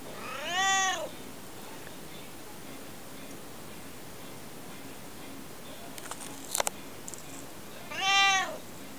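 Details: Pet cat meowing non-stop: two arched, harmonic meows about seven seconds apart, with faint clicks and a soft rustle between them in a quiet room.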